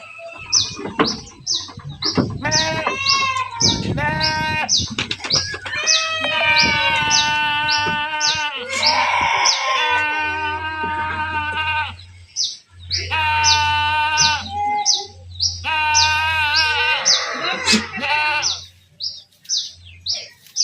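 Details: A herded group of goats keeps up a dense chorus of quavering bleats with brief pauses. Rapid high chirps repeat throughout, over a low droning hum.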